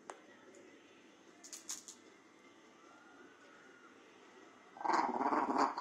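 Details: A female Shih Tzu breaks a quiet pause with a sudden, raspy, gurgling growl near the end.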